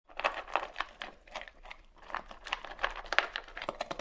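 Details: A dog eating and drinking water indoors: rhythmic, crisp bursts of chewing or lapping come roughly three times per second, with short quiet gaps between them in a small, close-sounding room.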